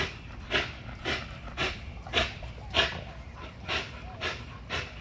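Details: XL American Bully pitbull on a heavy-duty spring pole during a muscle-building workout, breathing in hard, breathy panting bursts about twice a second, each a broad hiss, with faint rustling between them.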